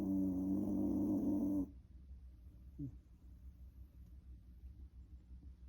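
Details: A former rescue Shiba Inu gives one loud, rasping, low-pitched snore, then falls nearly silent.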